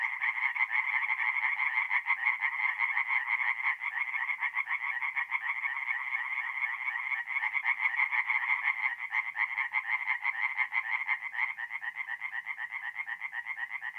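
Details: Night chorus of tree frogs at a forest pond in north-east Italy, mid-April: dense, continuous rapid croaking from several overlapping callers, steady and loud for the whole stretch.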